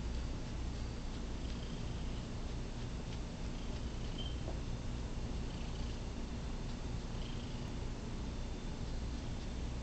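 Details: Domestic cat purring while wanting to be petted during a recording session; a steady low rumbling purr runs through the whole clip with faint higher scratchy sounds above.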